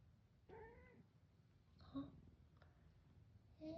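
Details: A young house cat born in 2015, indoors in a warm room, answers with a short harmonic meow near the start after its owner says to answer with its tail; a fainter brief squeak follows, with soft Korean speech around it.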